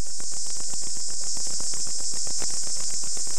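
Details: Katydids at sunrise on a small island off Long Island, Bahamas, fill the air with a dense, continuous high-pitched buzzing chorus; recorded on VHS with poor audio.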